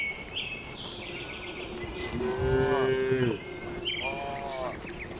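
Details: Cattle in a rural shed at night give a single steady mid-pitched moo amid fainter higher calls and a constant background hum.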